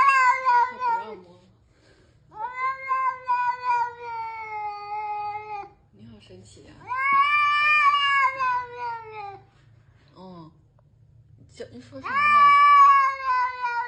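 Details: Pet cat giving long, wailing caterwauls indoors, four drawn-out cries separated by short gaps, each holding steady before sagging in pitch, with faint low background hum.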